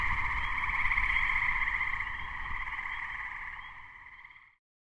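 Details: Gray treefrogs (Hyla versicolor) in a May 2010 chorus, recorded minutes before a thunderstorm struck: continuous overlapping musical trills in two bands, sustained for about four and a half seconds before ending abruptly.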